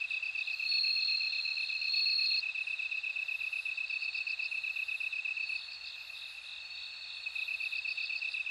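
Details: Bell cricket sings clear high ringing trills, strongest in the first few seconds, against a steady throbbing insect chorus with a brief softer dip midway.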